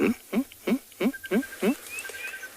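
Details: At sunrise on 19 March in Tswalu Kalahari Reserve, South Africa, a meerkat sentry gives a rapid series of short, harsh, almost bark-like alarm calls at a jackal behind the vehicle, warning the group to return to the burrow.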